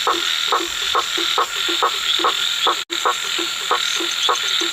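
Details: At night a frog calls with brief rasping croaks repeated about 140 times a minute, slightly uneven in spacing. Continuous shrill insect hum fills the background, with one momentary dropout.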